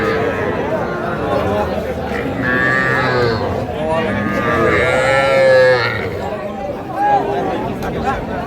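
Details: Young Sahiwal bulls and heifer calves at a cattle market in Faridpur, Bangladesh, on 17 March 2025: two drawn-out, harmonic-rich moos near the middle and a short call near the end, over steady crowd chatter and market bustle.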